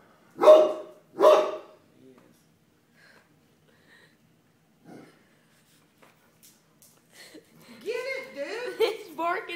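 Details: Pet dog barking at a floor mat indoors: two sharp, loud barks in quick succession at the start, then near-silence with faint knocks, followed by a woman talking in a high, sing-song voice.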